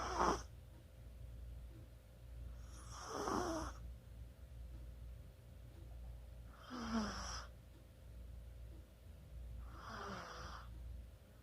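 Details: Snoring Chihuahua in sleep, 24 October 2020: regular rasping breaths roughly every three and a half seconds, airy hisses ending in small squeaky wheezes, with a steady low electrical hum beneath.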